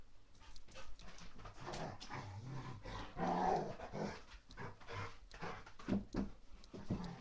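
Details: Baby Rottweiler puppy in a mad five-minute play session gives rough, low play growls and huffs, with a person calling to it indoors.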